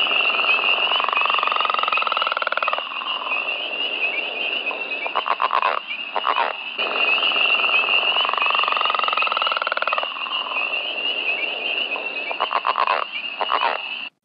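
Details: Leopard frog from the Hamilton, Ontario watershed: long rattling snores alternating with short chuckling bursts, repeated twice, set against a steady high-pitched chorus of other frogs calling throughout.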